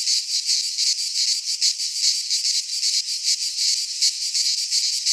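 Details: Greek pine-forest cicadas in midsummer, singing together in a shrill, unbroken buzz that swells and dips in fast pulses, roughly two to three per second, with nothing else heard.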